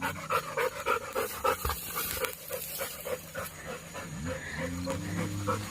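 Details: Labrador Retriever, one of two dogs said to love going out roaming, panting in quick rhythmic breathy bursts, about three per second, fading after two seconds over a steady low hum, then a person laughs.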